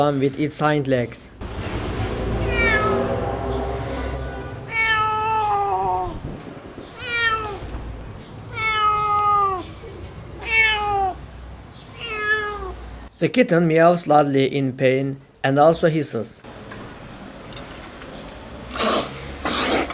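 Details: Abandoned stray kitten, rescued after two days freezing in -11°C snow without food or shelter, gives a run of high, falling, harmonic meows in its middle stretch, framed by human speech and faint music at the start and end.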